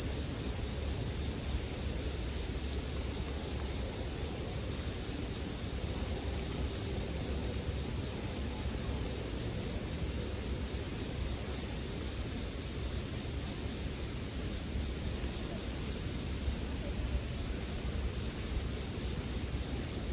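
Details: Bell crickets in a campfire sleep mix: a constant, even high-pitched ringing drone runs the whole stretch without gaps, above quiet low rustling noise.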